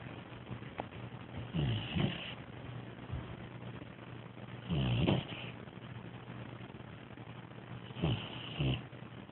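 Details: Young Bloodhound puppy asleep, snoring; three soft rasping snore breaths roughly every three seconds, each a short rough swell with a faint whistle at its peak, over quiet steady background hum.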